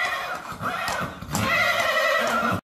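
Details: Horse whinnying at a stud housing stallions for frozen-semen production, 25 August 2024, while a young dish-faced Arabian stallion is shown: a shaky harmonic neigh over rustling and handling noise, louder in the second half, then cut off.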